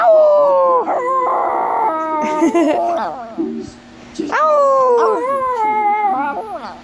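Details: Male Chihuahua learning to howl but reverting to barking: a long, falling howl, then a choppy stretch of short yelps and barks, then a second drawn-out, sliding howl that fades out.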